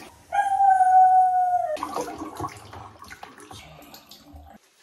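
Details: Dog howling during a bath: one sustained, slightly falling howl of about one and a half seconds, followed by splashing and handling noises.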